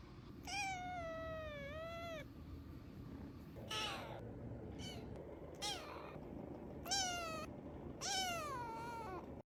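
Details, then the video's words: Cute vocalising from a black and white pet cat: long whining meows with bending pitch, the first lasting nearly two seconds, followed by shorter repeated meows and a few breathy chirps, low constant indoor hum beneath. "cat making some cute noises"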